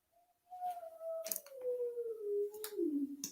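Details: A neighbour's Great Dane howling in the background indoors: one long tonal howl, steady at first then sliding gradually downward over about three seconds, with faint harmonics and sharp clicking taps from make-up being applied.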